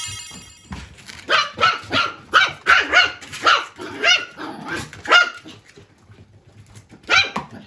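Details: Latte, a male tiny toy poodle born 11 March 2021, barking to communicate with his owner; a run of sharp, high yapping barks in quick irregular bursts, pausing briefly before a final bark, with faint music behind.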